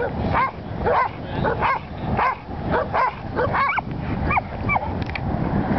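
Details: Willie, a Welsh Corgi, herding sheep for the first time in Long Beach, California: short sharp barks about every half second, each with a quick rise and fall in pitch, over a steady low background rumble.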